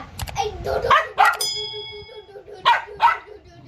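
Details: Poo, a pet dog, barking in anger indoors: four sharp, short barks come in two pairs, near the start and again toward the end, with people talking over and between them.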